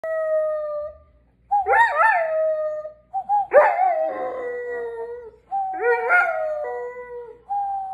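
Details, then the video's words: A Doberman howls in long, sustained, tonal notes that waver and slide downward, several separate howls with brief pauses between them. "Doberman howling"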